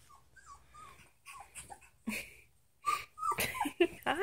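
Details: Three-week-old Samoyed puppies from Sitka and Izzi's litter whimper and squeak in a run of short, high, bending whines, some overlapping, with soft snuffly breathing between calls.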